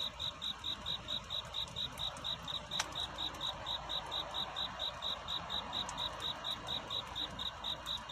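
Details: A cricket calls for a mate at night, its shrill pulses ticking along about twice per second, steady and unbroken, with one sharp click and a soft background hiss.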